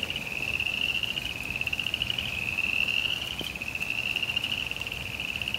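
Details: Rain falls on a suburban backyard while frogs hold a steady high trill, a fast buzzy pulsing that carries on without pause, with light rain noise and one faint knock.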